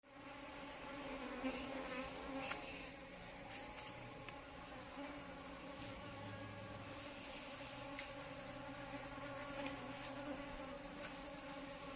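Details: Asian honey bees of the Indian subspecies Apis cerana indica give a steady, droning buzz with a low hum and layered overtones. It holds even throughout, with faint clicks and bumps.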